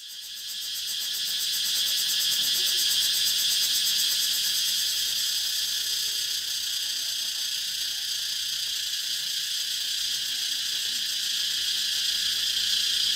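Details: Cicadas calling, the recording shifted to 432Hz; a dense, continuous high-pitched shrill buzz with a fast pulsing texture, steady throughout and rising slightly at the start.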